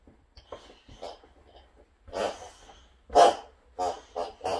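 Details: Two pet boxers, Rex and Sammie, pestering in a small room at home: scattered soft whimpers that build into sharper, louder yelping bursts near the end, with breathing and a human voice mixed in.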